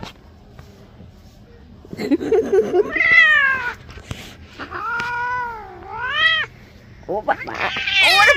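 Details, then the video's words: Cat protesting during a bath, a string of wavering drawn-out meows rising and falling in pitch, several in quick succession, ending in a sharp rising cry, with splashing and clattering and a woman's voice in Bengali. "Cat bathing"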